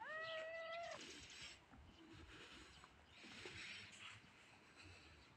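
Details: A tiny grey cat lets out one short, level meow at the start, followed by several seconds of soft background hiss and rustling.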